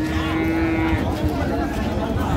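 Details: Cows at a busy livestock market in Dinajpur, Bangladesh, on 11 April 2025: a level, drawn-out low moo continues for about a second and then fades into the murmur of people talking.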